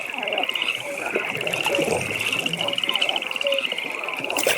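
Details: Frogs at a pond by night give a long unbroken high trill of quick regular pulses, joined by a few short lower croaks, with a faint hiss of ambience behind.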